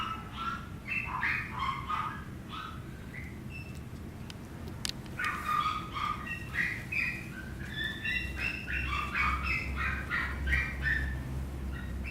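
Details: Squeaky whines and yelps from a Chihuahua puppy, bursts of short high-pitched tonal cries coming several per second, a brief pause midway with a sharp click, then renewed squealing over a low rumble.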